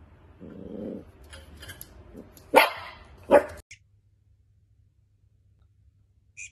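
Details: Playful Dachshund, a wiener dog, giving a low throaty grumble followed by two sharp, loud barks less than a second apart, then quiet.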